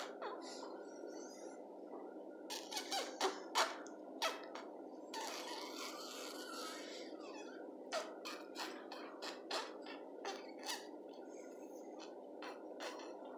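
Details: Yorkshire Terrier puppies, chocolate Biewer-type Yorkies born 16 January 2020 (one female, two males), give thin, high squeaks and whimpers in irregular bursts.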